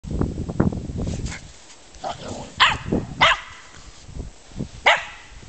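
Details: German Spitz Mittelspitz dogs at play, a few sharp barks spaced unevenly after a stretch of low rumbling noise, with quiet gaps between.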